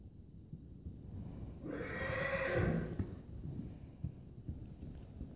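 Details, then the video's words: Percheron cross horse, a draft and paint cross, giving a single whinny of about one and a half seconds, a loud wavering neigh with a bright quavering upper band, over low rumbling background and faint thuds. "Draft cross percheron/paint cross"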